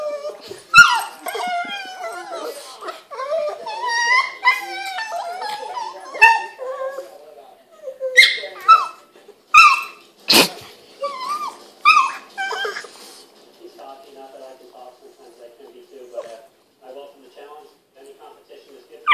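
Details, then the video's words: Boston Terrier playing with a pug, making odd whining, yelping and groaning noises with wavering harmonic whines, then a run of short sharp yips, fading to quiet near the end. "Boston Terrier, Handsome Jack... and Pugly Betty making Funny noises!"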